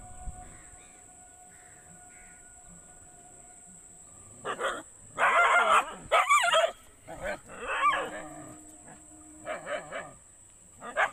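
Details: Dogs barking: after a quiet start, loud harsh barks burst in from about the fourth second, some drawn out and howl-like, in irregular clusters, over a faint steady high hiss.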